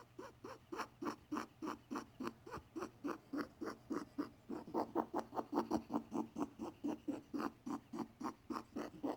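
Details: Domestic male rabbit, perhaps sick, giving odd repeated sounds after a vet prescribed antibiotics without a diagnosis. Uneven, raspy, breath-like bursts of about two per second, briefly quickening in the middle, over a faint indoor hum.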